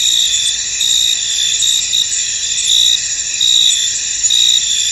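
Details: In a fog-covered field, crickets keep up a piercing high chorus; short bright chirps repeat a little over once per second above a continuous insect hum.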